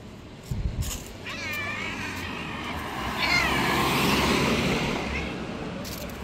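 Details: Angry white stray cat, bully of the street cats: a long wavering, yowling caterwaul with rippling harmonics lasting several seconds, a brief low thump at the start and steady background noise.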